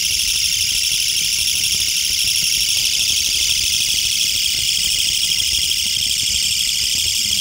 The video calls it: 철써기의 울음소리 Calling song of Mecopoda niponensis